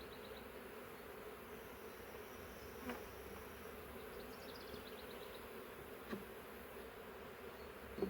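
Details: Thousands of honey bees still inside a swarm trap box hum in a dense, unbroken drone, with light clicks and brief high bird twitters in the background.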